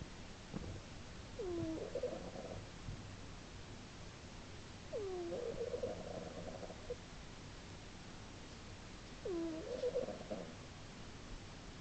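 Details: Slumbering female cat snoring indoors in March 2010, three breaths spaced about four seconds apart, each a short high squeak bending down, then a harsh fluttering snore, with faint soft knocks between.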